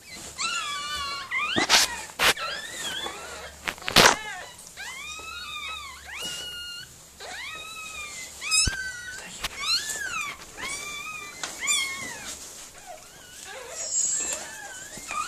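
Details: Miniature Pinscher Mirella whimpering during birth of her puppies indoors; a long run of high, bending whines and yelps, roughly one every second or two, with sharp clicks and rustling between cries.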